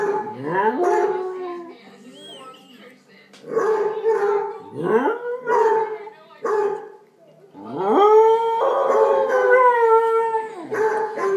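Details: Arran, a pet dog fond of singing along with other dogs, joins a howling chorus: sliding upward wails, sustained wavering notes and short yips overlap in repeated bursts separated by brief quieter pauses.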